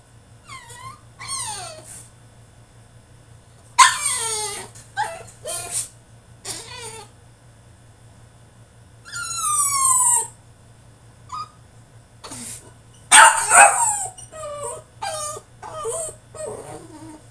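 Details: Caged male French Bulldog in a tantrum, letting out drawn-out whines that slide downward, squeaky yelps and harsh, screechy outbursts in rapid irregular clusters, over a faint constant low hum.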